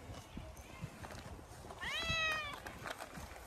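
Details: Stray cat playing in a park, winter-coated: faint rustling and scattered taps, then one clear, rising-then-falling meow of about half a second.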